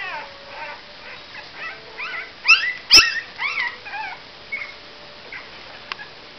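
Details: Whining 28-day-old Cavalier King Charles Spaniel puppies give a steady run of wavering, high-pitched whimpers and short yips, about two a second, loudest in the middle, with a sharp click partway through.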